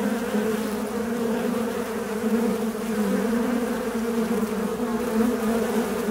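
A fly buzzes steadily, a low droning hum that wavers slightly in pitch as it moves.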